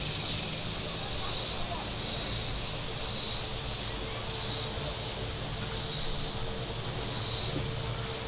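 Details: High shrill cicada chorus from the lakeshore at Table Rock Lake, southern Missouri, on a hot Saturday, surging and fading in uneven bursts of one to two seconds while boat motors hum low in the background.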